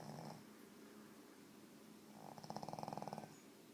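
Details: A sleeping pet pug snoring indoors: a soft, rapid rasping snore pulsing about three to four times per second in short bouts, with quiet breathing between.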